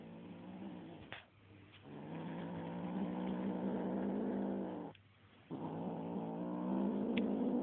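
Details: A little kitten turning fierce on a feather toy, growling in long, sustained, gravelly rumbles that run for several seconds, broken by two brief pauses, rising slightly in strength at the end.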